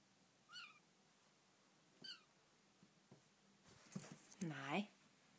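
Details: Young female Bengal kitten indoors in her new home: two brief high squeaky chirps, then a louder drawn-out meow near the end, with a woman's voice speaking Danish.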